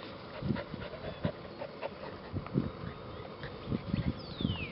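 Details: Eleven-week-old mixed-breed rescue puppies: rapid soft panting and small whimpering bursts repeated throughout, with light shuffling.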